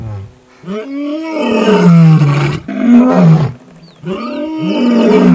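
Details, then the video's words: Lions fighting over a buffalo kill: deep, loud roaring growls in overlapping bursts, each with a low harmonic band that swoops and sags, broken by short pauses, no other sounds. "Lions fighting over buffalo kill"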